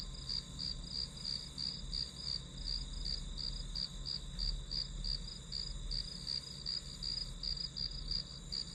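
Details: Grass insects providing white noise for studying: a quick, steady series of piercing high chirps, around three per second, layered on an unbroken shrill trill and a dull low rumble.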